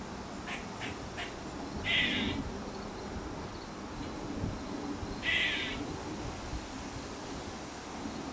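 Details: Squirrel calling in a backyard, said to cluck like a chicken and then caw: a few soft clicks, then two harsh, noisy calls about three seconds apart over steady background hiss.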